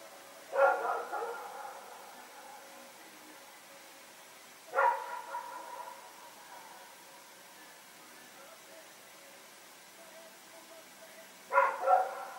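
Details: Two dogs, Rex and a companion, barking during a nighttime run on September 21, 2018: a bark trailing into a rougher tail, another about four seconds later, then a quick double bark after a long gap.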